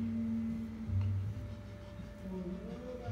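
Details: Soft tonal music with sustained low ringing notes like a singing bowl, plus faint speech, and no animal sound.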